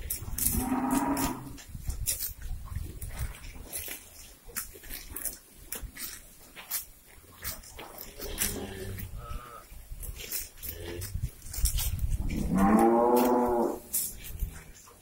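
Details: Morning grazing cows on a breeding farm, released onto fresh grass: a harmonic moo at the start, fainter lowing in the middle, and a strong rising-falling moo near thirteen seconds over steady crackling and clatter.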